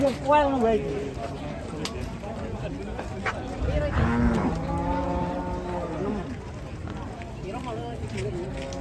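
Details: Moos from a rampaging cow that rushed into a passenger car: short rising-falling bellows and a steady moan mid-clip, set against a busy background of thumps and murmuring.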